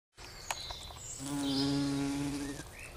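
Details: A heath bumblebee (Bombus jonellus) queen gives a steady, low droning flight buzz that swells and holds, while collecting nectar from giant pink dead nettle (Lamium orvala), dusted with pollen; faint bird chirps behind.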